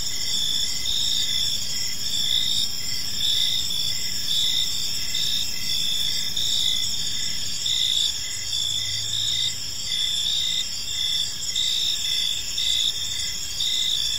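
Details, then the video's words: Crickets chirping as evening falls in a park, high shimmering trills overlapping with rhythmic chirps near once per second, a brief low hum in the background midway. "Cricket Sounds in a Peaceful Park"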